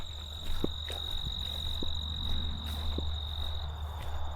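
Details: In late summer, after overnight rain, many crickets keep up a steady, high, unbroken trill in a prairie sand plain beside old-growth Backus Woods, southern Ontario, with a fainter higher whine above, over low rumbling and scattered footsteps.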